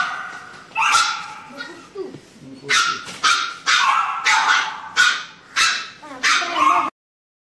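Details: Labrador Retriever puppy crying in fear of an injection during vaccination: a run of about seven sharp, loud yelps spaced roughly half a second apart, with a human voice talking in between.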